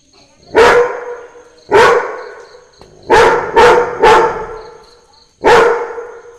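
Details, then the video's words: A Labrador barks along to Christmas carols, giving six abrupt, punchy barks, the middle three rapid-fire and the rest about a second apart, with a soft high-pitched twinkling tone underneath. "Labrador barking to the sound of christmas carols"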